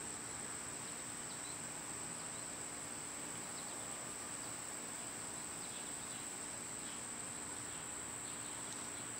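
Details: Cicadas in summer produce a continuous high, ringing drone, with a few faint short chirps from birds scattered through and a low outdoor rumble underneath.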